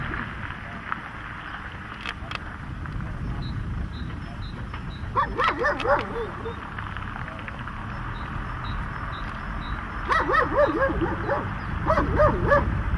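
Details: Protection training session with a dog giving two separate bursts of fast, rough, overlapping barks over steady low background rumble and faint voices.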